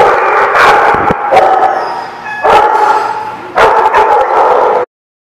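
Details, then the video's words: Dogs at The Barking Lot, 5/19/17, barking in loud overlapping bursts, with brief dips between them, before the sound cuts off abruptly near the end. "The Barking Lot"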